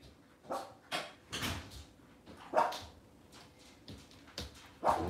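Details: Cavalier King Charles Spaniels on an indoor kitchen camera with puppies and mothers on a cloudy Monday morning; short, sharp yips and barks come in irregular bursts, some high and thin, others fuller, with quiet room noise between them.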